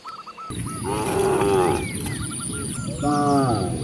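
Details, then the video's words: Cows roaming freely and descending through green countryside give two loud, resonant moos, the first long and swelling. A bird repeats a short whistled note, and a steady high-pitched whine runs throughout. "The sound of mooing cows roaming freely in nature"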